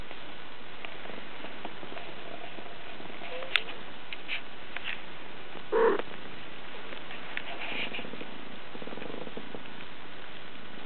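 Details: Black-and-white Scottish Fold cat snoring while asleep: a soft, low rumbling breath sound throughout, with a few faint clicks and one brief louder noise midway.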